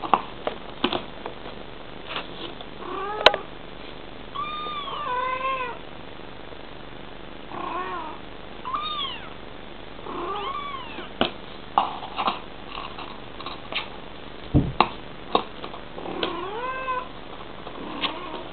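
A Bengal cat gives repeated short chirping, arching meows, a mother vocalising to her kitten.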